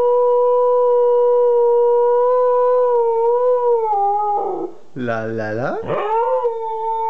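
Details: Kanu, a two-year-old Siberian Husky, holds one long, even howl for about four seconds, then breaks into a lower, warbling yodel with quick pitch bends before returning to a steady tone.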